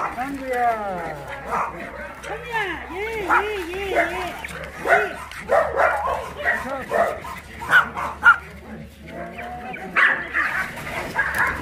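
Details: Abandoned dogs at Mindeulle Shelter in Yangsan, South Korea, during a play session: several dogs give high arching yips and whines, some sliding up and down in pitch, over constant human talk and a low steady hum.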